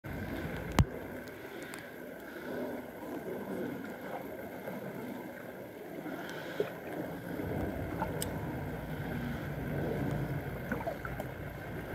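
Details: Steady low rumble of water and boat engine with some wind, a few clicks, and no animal calls. No penguin or other animal voice stands out from the background noise.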